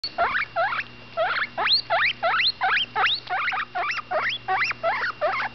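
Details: Butterscotch, a female baby guinea pig about ten days old, squeaks while eating: rapid rising chirps sweeping sharply upward, about three per second in a steady run, with short gaps and a faint steady hum beneath.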